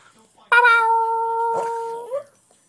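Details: A female Boston Terrier, singing for the first time when prompted, gives a steady, drawn-out howl on one pitch that lifts briefly at the end.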